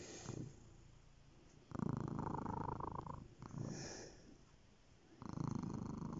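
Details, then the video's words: Cat purring up close, a deep vibrating rumble that rises in loud bursts of one to two seconds, fading to quieter rumbling between them, with a faint tonal hum over the pulses. "Magic purring"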